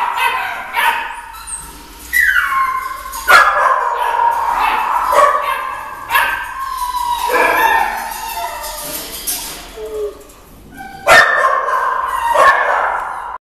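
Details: Young male miniature smooth-haired dachshund mix at an animal shelter in Mesquite, Texas, giving high drawn-out whines and yelps that break into short barks, in a reverberant room.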